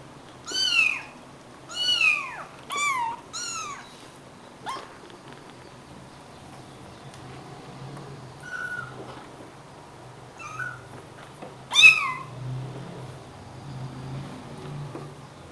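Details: Four stray kittens about three weeks old, rescued in Greece and now kept indoors, bottle-fed on kitten formula: a run of high, thin, arching mews repeated about once a second, then a pause with faint chirps and one last loud cry.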